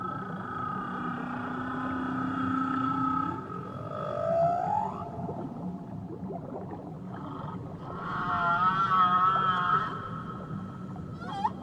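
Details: Tahitian waters carry whale vocalizations: a low sustained tone that bends sharply upward into a higher wail, a pause, then a rich warbling, wavering cry with a final rising squeak, over low rumbling sea noise.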